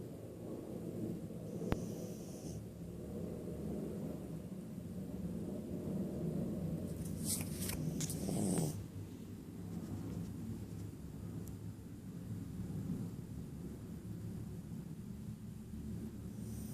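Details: A sleeping poodle snores in soft, low, breathy rasps that repeat irregularly under a steady background hum, with a brief louder rustle midway.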